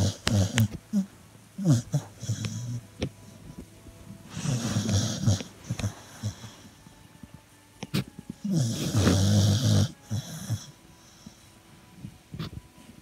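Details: Sleeping and dreaming, the Beagle Hermine gives low, raspy snores in two main drawn-out bursts, with short snuffles and clicks between them and quiet breathing in the pauses.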